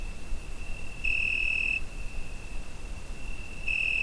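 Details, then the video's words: Summer night crickets captured on a Zoom H5, giving a continuous thin, high ringing tone, with two stronger pulses of under a second each rising above it, and faint low rumble beneath. "Summer Night Cricket Sound Effect"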